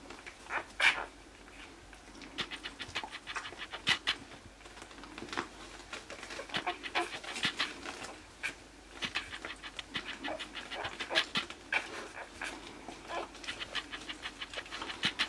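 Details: Newborn Basenji puppies, 60 hours old and born 17 November 2015, squeak and whimper in a constant, high-pitched chorus of short, thin cries.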